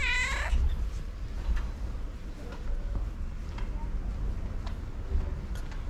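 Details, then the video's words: A female cat greets her owner with a meow on seeing her and walks up to her. One clear, bending, harmonic meow of about half a second opens the clip, followed by low steady background noise. "When Oreo cat saw me, she started to meow with her unique voice and came up to me"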